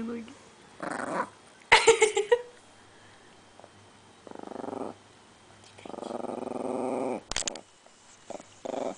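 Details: Female Chihuahua protecting her bone, making rumbling, pulsed growls in two main bouts of about a second each. A person's voice is heard early on.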